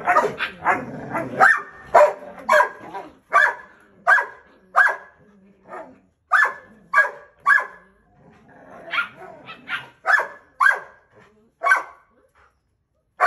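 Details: A male Belgian Malinois puppy resists discipline from its mother and father. Sharp, clipped barks repeat irregularly, nearly two per second, some doubled, with brief silences between them.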